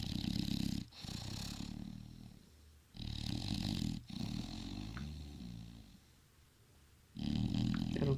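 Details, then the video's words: Bulldog snoring in its sleep, loud rattling low breaths with a rough, breathy edge, coming in four irregular bursts a second or two long, with quieter gurgling between them. "Bulldog roncando"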